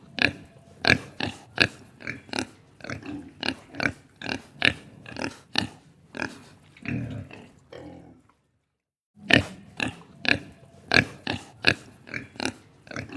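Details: Farm pig grunting: short, rough, broadband grunts repeat roughly every half second in steady bursts, with a brief silent pause midway before the grunting resumes.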